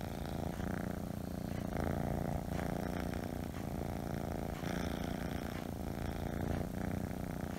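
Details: Scottish Fold kitten purring, a deep pulsing rumble held throughout with a slight swell and fade in loudness and light fur-rustling sounds over it.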